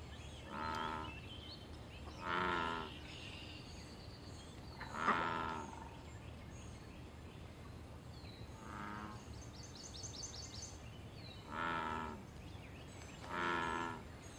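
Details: In a wild pond, an American bullfrog gives deep, resonant croaks tied to mating and territory: six low humming calls in irregular bursts with a quiet gap in the middle, and soft bird twitters high in the background.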